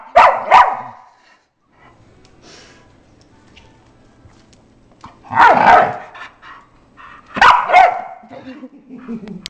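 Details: Bull terrier at home, barking while its owners tease it by grabbing its paws with their toes: two quick sharp barks at the start, then two louder, harsher bark bursts several seconds apart, with faint voices between them.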